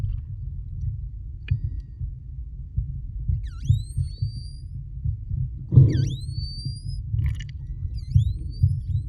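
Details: Short-finned pilot whales, recorded underwater while freediving off the Kona Coast of Hawaii, give bright, swooping whistles that dip then rise over a deep underwater rumble.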